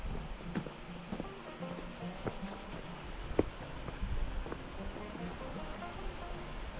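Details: Cicadas in the Gorges du Gardon, Gard, southern France, heard while hiking to a small waterfall. They give a constant high-pitched hum with a few sharp clicks and taps from walking over the steady buzz.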